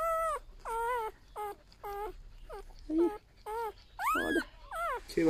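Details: A litter of eight newborn golden retriever puppies gives a rapid string of short, falling whimpers, about ten in five seconds. Each cry is high and tonal, and human voices murmur nearby.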